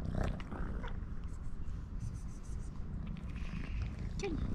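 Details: Pink-nosed kitten purring loudly toward the camera beside its brother; an unbroken low rumbling purr with scattered rustling, a short squeaky mew near the end and a woman speaking softly around it.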